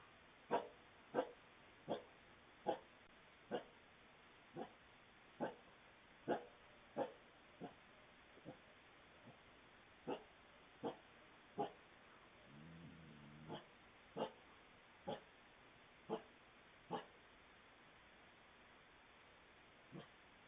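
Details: Two coyotes cornering a fox by a front porch in a Fort Mill, South Carolina subdivision, midnight, Ring doorbell recording: a long, faint series of about twenty crisp, evenly spaced barks, roughly one each second, with a brief low grumble midway.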